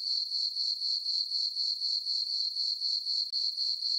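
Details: Crickets chirping on a summer night in a farm meadow under a full moon: a steady high, ringing trill that pulses about four times per second, with no other sounds.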